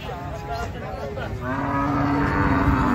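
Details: Agitated cattle unloaded from a truck, several animals present; a long, low, steady moo rises in the second half over a background of overlapping voices and engine rumble.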